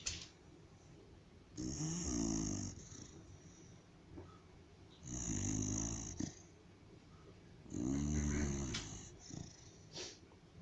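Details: Sleeping white pet dog snoring at home: three long, rasping, throaty snores, each lasting about a second, spaced roughly three seconds apart, with soft breathing between them in a quiet room.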